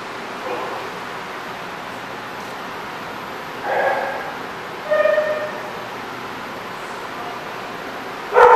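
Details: Dog at The Barking Lot, RI, recorded 1-20-14, giving a few scattered barks. They are fainter and spaced out, near the middle and the end, over constant background hiss.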